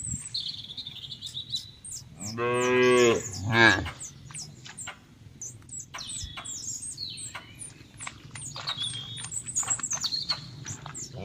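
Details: Cattle at a farm in oil palm plantation country in Central Lampung, Indonesia: a short moo followed by a brief higher bleat-like rise, then only scattered bird chirping and background hum.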